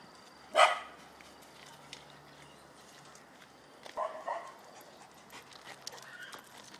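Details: A male Dobermann gives one loud, sharp bark, followed by a softer, shorter vocal sound.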